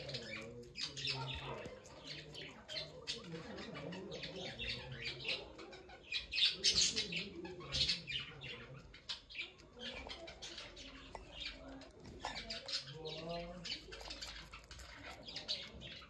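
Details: Small guinea pig squeaking in rapid, uneven runs of shrill chirps and squawks, loudest in the middle, with light rustling and faint low murmurs beneath.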